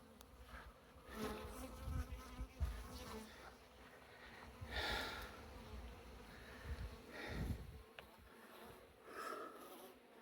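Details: Well-established honey bee colony removed from a house wall during a cutout; continuous low buzzing hum under repeated knocks, scraping and comb-handling sounds throughout.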